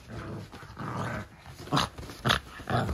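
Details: Cavalier King Charles Spaniel puppies, part of a litter of fourteen, racing around a living room with the zoomies while one carries a toy. Low rumbling growls give way to three short, rough yips or grunts in quick succession.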